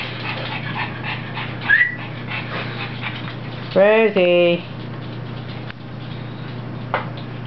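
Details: Puppy playing with its mother indoors; a short high squeak early, then a loud wavering whine-yelp lasting under a second around the middle, with a person calling to it before and after.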